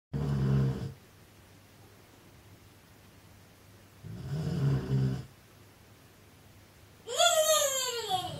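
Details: Gerda, a huge dog, snoring indoors: two low, rumbling snores about four seconds apart, each lasting around a second, then a sudden high squeal that slides downward near the end.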